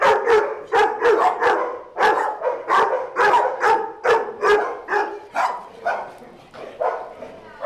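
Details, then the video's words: Day-care dogs at Doggie Oasis at play, giving clear, separate barks in a quick, uneven series, roughly two per second, each bark short and bright. "Dogs playing at Doggie Oasis Day Care"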